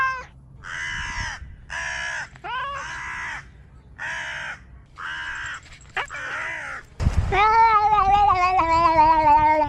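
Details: Domestic cat calling in a series of short, hoarse, clipped bursts repeated roughly every second, several starting with an upward scoop, then breaking into one long, loud, wavering meow that slowly falls in pitch.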